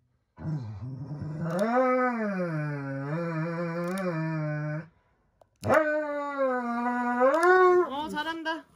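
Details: Pet Dobermann howling indoors during a nail trim, fussing more than a Shiba: two long, drawn-out harmonic howls, the first wavering and sagging, the second starting with a sharp rise then holding steady, separated by a brief silence.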